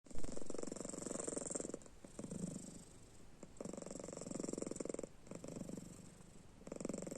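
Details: Domestic cat named Panda, a pet, snoring while sleeping with its eyes open: a low, rapid, rattling vibration in long bursts broken by short pauses, each burst steady and buzzy.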